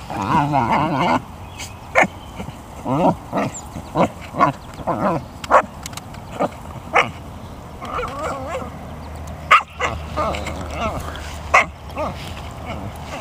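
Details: American Eskimo dog playing with an abandoned rubber basketball from a school yard, vocal throughout; whiny harmonic moans early, then scattered short yips and barks, with a low background hum.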